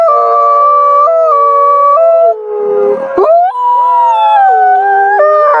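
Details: Nighttime wolf howling with layered voices. Long held tones step abruptly up and down in pitch. Midway a brief, harsh, noisy patch interrupts, then the overlapping howls resume, rising and falling.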